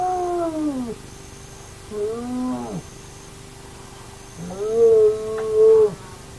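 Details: At an active den of the Naledi hyena clan, a remote camera records a run of plaintive whines. The first slides downward, the next two swell and then fall away, all over a steady low background hum.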